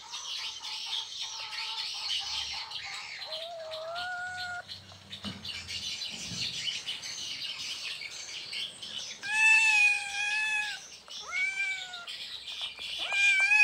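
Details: Asian leopard cat from Indonesia calling to mate: a series of short, tonal meows, rising then falling, spaced a few seconds apart and clustered near the end, against a constant high-pitched hiss.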